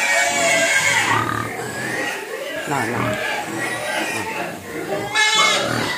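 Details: Several hungry pigs squealing as they beg for food, high wavering cries overlapping, mixed with grunts and a person talking to them.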